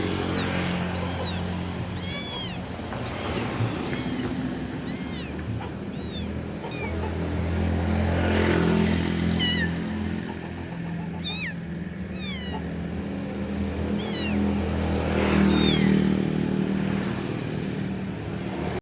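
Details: Loud kitten calling its mother, giving insistent high-pitched meows in rapid clusters, bursts of several cries then short pauses, against constant low engine-like rumbling background noise.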